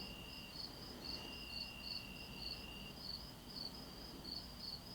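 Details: Crickets, and possibly cicadas, chirp in the still of a night after a hot day, in steady, high pulses about twice per second over a continuous trill.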